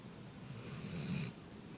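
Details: Pet dog, female, asleep in a person's lap indoors, snoring: a single drawn-out low rumbling breath with a faint airy hiss above it, lasting about a second in a quiet room.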